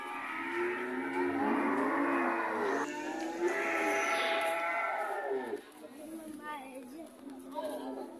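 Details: A red cow gives long, overlapping moos for several seconds, then softer, shorter lowing calls follow at lower volume.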